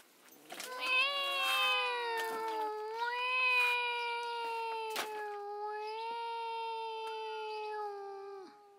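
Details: Drawn-out cat meows run together into a long, wavering, nasal tone over several seconds, with brief louder rising swells and a few sharp clicks in a quiet indoor space.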